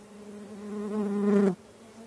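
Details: Stingless bees from several colonies kept in a meliponary, moving around the hives without any talking. A steady low hum swells into a louder buzzing pass that drops away abruptly after about one and a half seconds.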